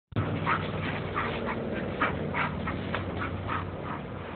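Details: A small spotted Bull Terrier in Titograd gives short, nasal grunting sounds, repeated roughly twice a second.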